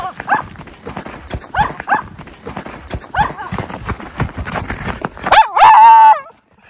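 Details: Miniature Schnauzer brothers romping through tunnel trails in deep snow in January after two weeks of snowy weather; soft yips and crunching footfalls, then a loud drawn-out wavering bark-howl near the end.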